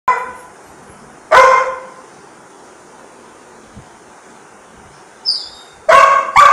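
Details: A Labrador Retriever gives a few loud, sharp barks, spaced out with quiet pauses, asking for food.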